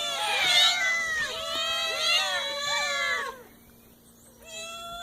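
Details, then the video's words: Cute kittens meowing: several overlapping, high, wavering meows with rich harmonics, rising then falling, crowded into the first three seconds, then a quieter pause and one more thin meow near the end. "cute kittens Meowing"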